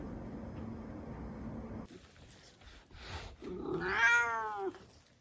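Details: A single drawn-out meow from a pet Turkish Angora, the chattiest cat in its household, comes after a few seconds of quiet room noise and soft shuffling.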